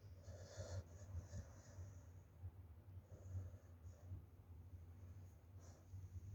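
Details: Sleeping Chow Chow and Pomeranian dogs in wintertime, snoring: low rumbling breaths with soft, wheezy snorts rising and falling irregularly over a steady low hum, a few faint hissy exhalations higher up.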